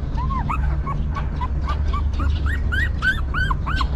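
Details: Newborn puppies of a stray mother dog whimper as she tends them, thin arched cries near one kilohertz repeating roughly three times a second and climbing slightly in pitch, over a steady low rumble.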